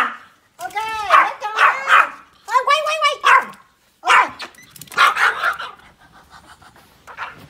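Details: Three Pomeranian puppies about to play outdoors in snow in winter, giving bursts of high, arched yelping barks in quick clusters, while a person talks to them.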